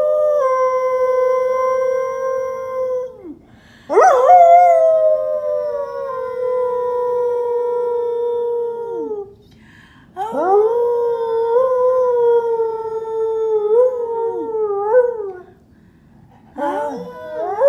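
An English Springer Spaniel howls in long, drawn-out, slightly falling tones, pausing briefly between each howl.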